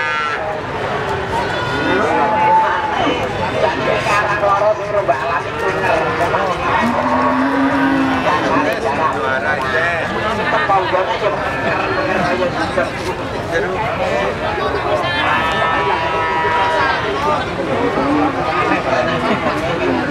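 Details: Cattle at a cattle market in Magetan, a hub for super-quality cows, give a low, drawn-out moo around the middle, with fainter lowing earlier. Steady crowd chatter and market bustle run throughout, with occasional vehicle noise.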